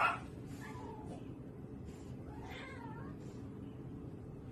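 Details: House cat uttering a few soft, short meows, quiet and wavering, over a background of low room noise.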